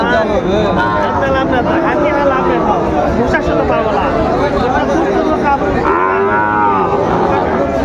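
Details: Sahiwal cattle, bull calves for sale at a busy market where a Chattogram farmer shops, 17 March 2025; repeated mid-pitched moos rise and fall through constant human talk, ending in a longer bellow.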